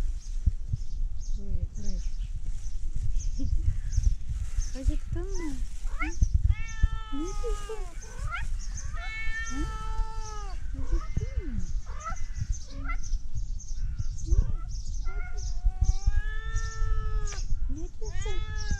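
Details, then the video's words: Tabby cat meowing, said to sound like a duck: a run of drawn-out, arching, harmonic meows, several in quick succession midway and more near the end, over steady low background rumble with people talking in Turkish. "Tabby cat meowing so cute like a duck"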